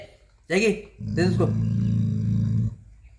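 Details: Pet dog Jacky protecting his bone: a sustained low, vibrating growl of under two seconds that begins just as a person speaks over it and cuts off abruptly.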